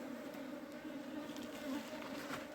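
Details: Steady droning hum of honey bees during the hiving of a wild colony into a box, the buzz holding constant with slight wavering in pitch throughout.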